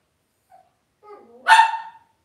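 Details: Cavalier King Charles Spaniel puppies raised indoors in a home puppy pen; a soft whine rises into one short, loud, harmonic-rich puppy bark lasting about half a second, in a quiet room.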